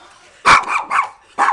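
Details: Three-year-old Maltese terrier barking at a lawn mower: two sharp, loud, yappy barks about a second apart with a short rough yelp between them. People speak Arabic just before and after.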